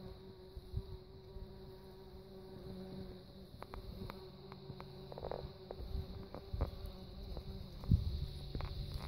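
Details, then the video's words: Steady low hum of a bumblebee (Bombus) runs throughout with even overtone bands, broken by scattered soft clicks and taps. "Bumblebee ; Bumble bee, bumble-bee, humble-bee"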